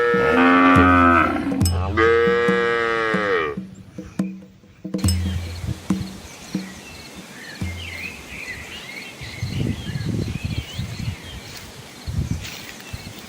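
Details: Red Asian village cows, a large herd with calves, crossing a small flowing river amid green trees in the rural Asian countryside. Two long, deep, harmonic moos fill the first three and a half seconds, followed by splashing water, low thuds and chirping birds.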